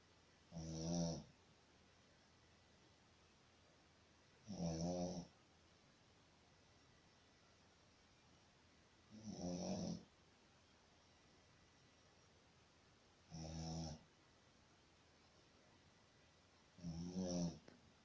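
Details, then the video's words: Shih Tzu asleep in a room, snoring steadily: five short, buzzy snorts roughly every four seconds, low and raspy, with silence between breaths. "Snoring shih tzu"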